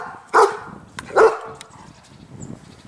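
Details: On Bornholm island, in the afternoon, a German Shepherd gives two loud, deep, non-aggressive barks about a second apart, calling wild pheasants from nearby fields and woods to be fed; he stops barking once they arrive.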